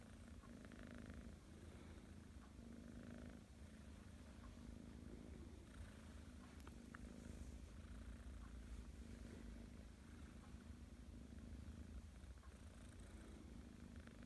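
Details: Persian kitten Lilly purring contentedly during a morning belly rub, a continuous low rumbling purr with even rhythmic pulses sustained for about fourteen seconds in a quiet indoor setting.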